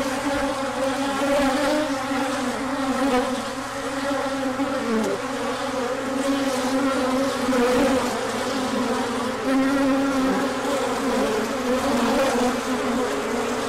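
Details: Swarm of bees making a large orientation flight in sunshine following a colder spell, with pollen being brought in: thick unbroken buzzing drone, layered humming tones wavering as individual bees pass close by.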